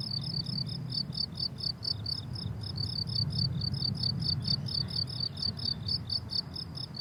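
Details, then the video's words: Rhythmic high chirping of crickets on a flowering summer meadow, short bright pulses repeating rapidly in overlapping rows, backed by a faint low rumble. "Relaxing Cricket Sounds on a Summer Meadow"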